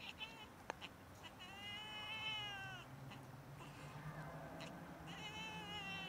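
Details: Domestic cats during rough mating, giving a long drawn-out harmonic yowl that swells and wavers for about two seconds, followed by shorter wailing cries, over low background rumble.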